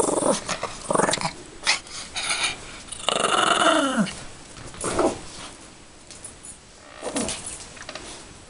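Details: Yorkshire Terrier tugging at her toy bunny, growling in rough bursts, then a drawn-out whining yelp that slides downward before further short play growls close the sequence.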